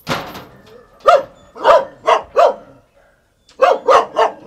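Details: A black-and-tan Jindo dog around mating gives a quick run of short, sharp barks, pausing briefly before another burst.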